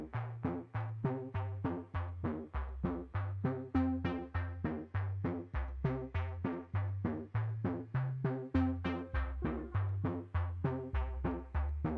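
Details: Synthesizer and drum-machine music with a steady, regular beat and bass line, and no animal sound.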